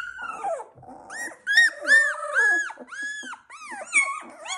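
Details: Labrador Retriever puppies of the Z2 litter, 16 days old, giving high whining squeals, each a short arched tone, overlapping in quick irregular succession with some lower grumbling between.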